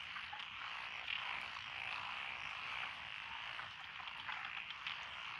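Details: Frog chorus from lotus rice paddies beside a country road in Echizen, Fukui Prefecture, Japan, recorded 12 June 2021: continuous overlapping trilled croaking, thick and unbroken, with no other clear sounds.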